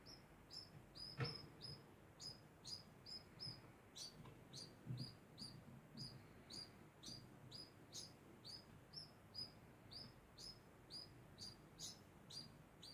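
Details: A degu chirping without pause, around two dozen short high squeaks in steady rhythm, each clipped and bright, with a single tap early on.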